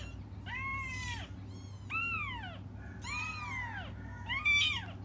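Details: Waiting for their mother, cats give four drawn-out wailing meows about a second apart. The last is the loudest and most strained, with a low background hum throughout.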